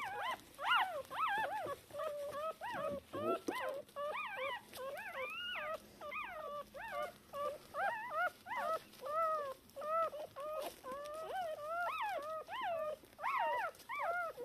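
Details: Litter of three Shiba Inu puppies, two female and one male, born 19 October 2022, calling to their mother hours after birth. Steady stream of high, rising-falling squeaks, several pups overlapping, with brief quiet gaps.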